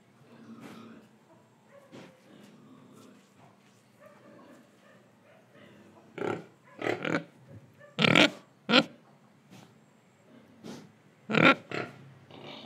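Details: Pig in Indonesia, breathing and eating: soft snuffling at first, then sharp, rough grunts in uneven bursts, several close together, over a quiet background.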